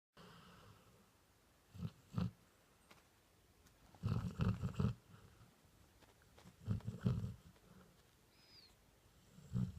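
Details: Female golden retriever fast asleep on a bed, snoring loudly: low, rumbling breaths come in grouped bursts every two to three seconds, with quiet pauses between.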